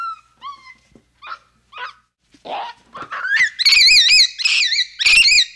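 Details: Capuchin monkey starting with soft, falling chirps, then building into loud, shrill, wavering squeals that overlap and intensify over the last few seconds.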